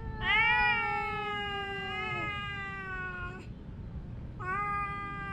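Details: Domestic cat meowing while fighting with its mate: a long, harmonic, drawn-out wail lasting about three seconds, sliding slightly downward, then a pause and a second wail beginning near the end, over a low steady background hum.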